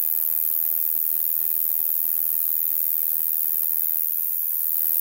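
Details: Large conehead (Ruspolia nitidula) singing at night in the Limousin countryside of central France on 25 September 2013: a continuous, very high, hiss-like buzz, unbroken and steady for the whole stretch, with no other sounds.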